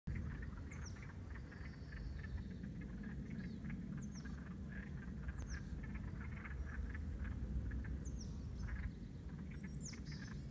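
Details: Wood frogs by a lake in Alaska in spring, newly out of frozen slumber, give duck-like mating calls: a chorus of short, rasping clucks overlapping in a steady chatter.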